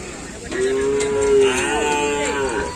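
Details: Cattle at a Kerapan Sapi bull race training session on the Asemanis field, Pamekasan, ahead of a race event; a clear, loud moo swells in after half a second, holds steady, then bends and wavers before fading, with people talking nearby.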